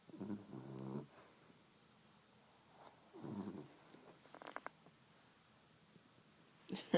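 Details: Female beagle asleep on her owner's lap, recorded on an iPhone; quiet, low, droning snores in two breaths about three seconds apart, with a few faint clicks and a brief rustle at the end.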